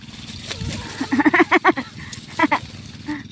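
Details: Pet goat being fetched, crying out loudly: two bursts of a stuttering, tremulous bleat, the first longer with rapid pulsing, the second short, over a low steady engine rumble and faint voices.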